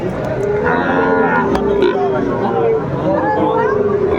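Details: Market bulls in Comilla, Bangladesh, 14 September 2024, being bought by farmers. One long, even lowing call holds for nearly three seconds, with shorter moos before it and a murmur of people haggling behind.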